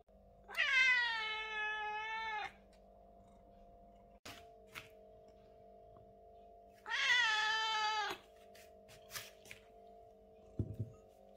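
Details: British Shorthair cat calling during the day: two long, strong meows about five seconds apart, each sustained and harmonic, over a steady electrical hum with a few knocks and clicks in between.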